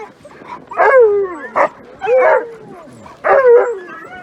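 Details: Sled dogs, Alaskan Malamutes, in Larose Forest, Ontario, Canada, on a -30 °C winter day before running: three loud bursts of yelping, each starting high and sliding down into a short howl, with quiet gaps between them.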